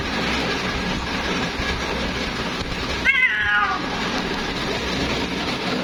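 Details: One plaintive meow from a female cat calling her mate, starting high and sliding down over about half a second, surrounded by continuous broadband hiss.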